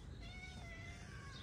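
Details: Hungry street cat, a calico living with shy companions in a mosque garden in Morocco, gives a drawn-out harmonic meow lasting over a second, steady then gently falling, over a low rumbling background.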